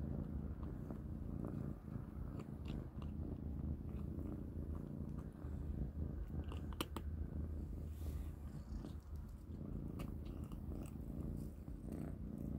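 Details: Three kittens, Panda, Grayie and Goldie, eat cat kibble at dinner indoors. A steady low rumbling purr runs throughout, with sharp crunching clicks from chewing scattered over it, thickest around the middle.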